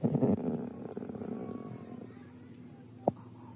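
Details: Snow leopard; chuff; non-aggressive vocalization used instead of roaring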